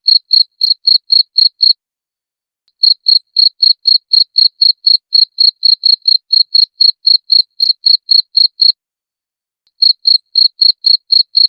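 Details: Crisp cricket chirps recorded clean for teaching caged songbirds, a steady high pulse roughly four times a second, broken by two brief pauses, nothing else audible.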